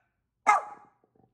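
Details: Pet dog in Vancouver, Canada, answering barking neighbour dogs with one sharp, loud bark that tails off quickly, followed by faint quiet sounds.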